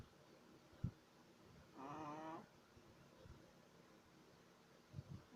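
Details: Sleeping Shih Tzu puppy, three months old, gives one wheezy, whistling snore lasting under a second amid soft breathing, with a few faint clicks and rustles around it.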